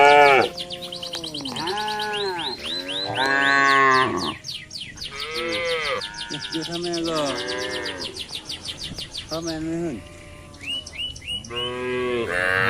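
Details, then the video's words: Cattle feeding on residents' green grass: a dense run of overlapping moos, arched and harmonic, follows one after another, fading midway and returning with fresh lowing calls, with high chirps behind. "suara sapi"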